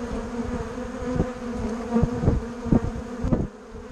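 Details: At Bourneside, bumblebees and honeybees fill the air with a constant droning hum; several louder passes stand out around the middle, then the buzz eases slightly at the close.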